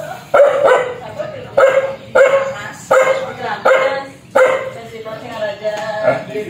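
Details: Angry, fierce dog barking steadily, roughly six harsh, throaty barks about one second apart, each ending in a short raspy tail.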